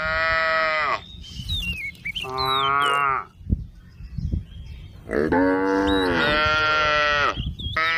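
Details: A female cow wandering along a road at the forest edge gives long, harmonic moos as she calls, with thin bird chirps between them.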